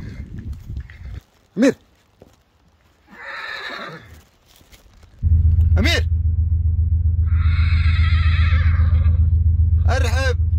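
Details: Arabian horse giving several short, arched neighs spaced a few seconds apart, with longer rough whinnying stretches between them. A steady low engine-like drone starts halfway through and continues under the later calls.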